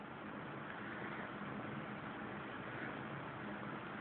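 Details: Steady broadband hiss, like an idling engine or fan, runs unbroken throughout with no animal voice.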